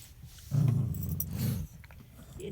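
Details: Remy, a pet dog, gives a deep, throaty growl for just over a second, steady and rumbling, while a person quietly coaxes the dog in the background.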